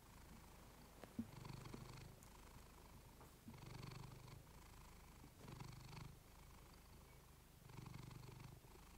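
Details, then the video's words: Female pet cat purring softly beside a fluffy microphone; quiet low rumble growing louder in four even breaths, with a single click early on. "Cat purring you to sleep with fluffy mic"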